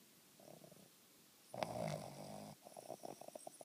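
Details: Boston terrier (Canis lupus familiaris), snoring.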